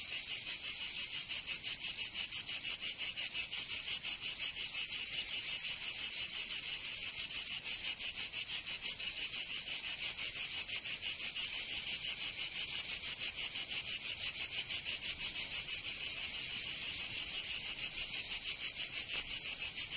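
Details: Cicadas singing in summer in Provence, southern France: a dense, high, hissing buzz pulsing steadily about three times a second, unbroken for the whole stretch, with no other animals or voices.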